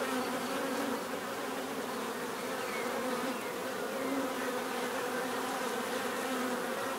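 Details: Continuous buzzing of many bees, a thick even hum with a steady low drone and faint higher whines drifting through, unchanging in loudness throughout.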